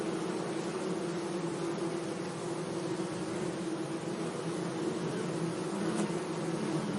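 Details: Several bees humming around flowers in a sunny meadow, giving a continuous low drone with a few faintly rising and falling tones and a quiet airy hiss behind it.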